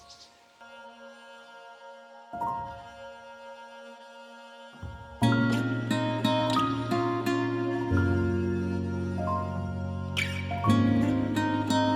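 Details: Soft sustained tones build into gentle layered instrumental music with plucked notes, and no animal voices are heard.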